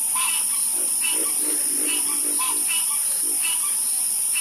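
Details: Frog chorus at night with slower, spaced croaks, some deeper and some sharper, arriving in small clusters over a strong constant high-pitched hiss.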